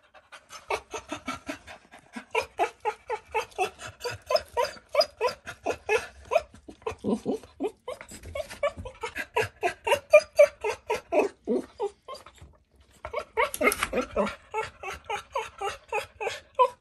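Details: American Cocker Spaniel, a very talkative, food-loving pet dog, producing rapid, continuous whiny yips and grumbling moans, roughly four per second in long runs with a brief pause near the thirteenth second, then resuming.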